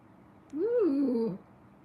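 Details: Kitten in a cuddle room gives a single drawn-out meow lasting under a second, rising then wavering and falling in pitch, set against a quiet indoor background.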